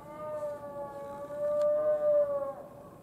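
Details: Gibbon at Tama Zoological Park in Tokyo, Japan, calling during a quarrel: one clear, pure, sustained note held at a steady pitch for about two and a half seconds. It swells louder toward the middle and then fades, over faint background noise.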